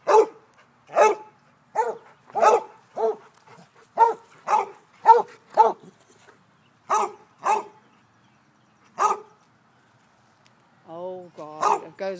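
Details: Basset Hound barking while chasing, loud deep bays repeated roughly every half second in bursts, a pause, then more barks, with a person's voice at the end.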